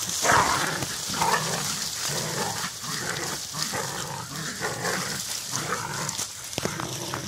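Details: Jagdterrier in a den fight, giving rough growls and barks in irregular bursts about once a second, with constant hissing noise behind.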